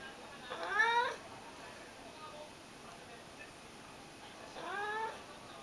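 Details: A hungry Ragdoll cat begs for food with sweet, pleading cries. Two drawn-out, wavering meows sound about four seconds apart against a quiet, steady hiss.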